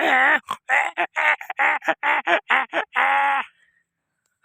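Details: A donkey brays loudly in a rapid series of harsh, harmonic-rich honking notes, about ten short pulses ending in one longer drawn-out note, then silence.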